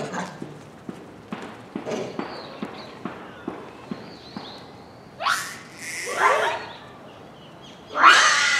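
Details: At dusk in December 2020, a captive Japanese macaque troop at Hamura Zoo, Japan: soft regular ticking at first, then three loud, sweeping screams near the end.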